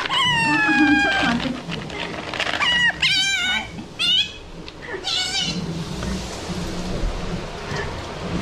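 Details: Captive Asian small-clawed otter at a Japanese aquarium in Ise, vocalizing while feeding: a string of thin harmonic squeaks followed by rapid chirpy bursts, then quieter rustling and faint voices.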